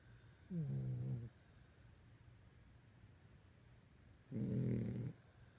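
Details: A pet dog snoring while asleep indoors, as it does every night: two long low rasping snores about four seconds apart, each lasting under a second, in a quiet room.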